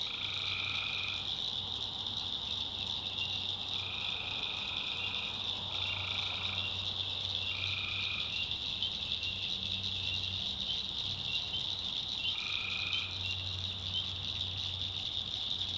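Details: Night swamp in the North Carolina backwoods, where tree frogs keep up a shrill continuous chorus. Lower buzzy trills of about a second each break in five times over it, and a faint low hum runs beneath.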